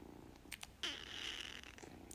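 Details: Domestic cat giving a single drawn-out, high, thin vocal call lasting just under a second, slightly falling at its end, after a few soft clicks and taps in a quiet indoor room.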